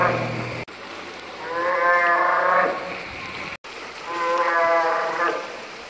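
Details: Bull northern fur seal giving two drawn-out, harmonic, bleating calls about two seconds apart. Each swells and then fades. Both follow a brief low tonal hum at the start, and the recording is cut between sections.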